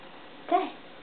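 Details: Domestic cat named Camelot, male, indoors at home; one brief, clipped meow rises and fades within a fraction of a second against a quiet room.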